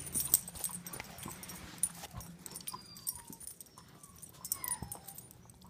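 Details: Five-month-old German Shepherd playing fetch indoors whimpers: several thin, high, falling whines of under half a second each, spread across the clip, with clatter and small knocks around them.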